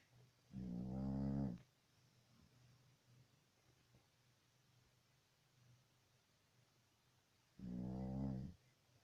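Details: Dog snoring while asleep: two low, harsh, vibrating inhalations about a second long, spaced roughly seven seconds apart, with a soft hum and quiet room background in between.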